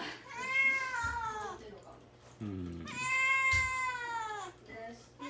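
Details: Young male cat Mamedaifuku, isolated in a cage and kept without food or water before castration, cries to get out; two drawn-out, bright meows with a short low murmur between them in a small room.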